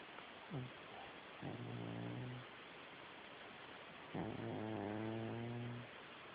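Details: A sleeping cat snoring: three low, buzzy, harmonic rasps, each lasting about one to two seconds, over a steady background hiss.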